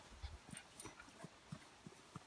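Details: Gimli, a pug out near horses, gives short low snorting grunts in a steady rhythm, roughly three a second, like quick panting puffs, against a faint hissy outdoor background.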